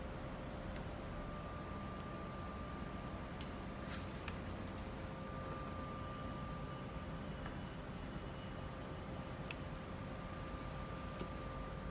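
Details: A steady indoor hum with faint tonal lines and occasional soft clicks, with no animal voices.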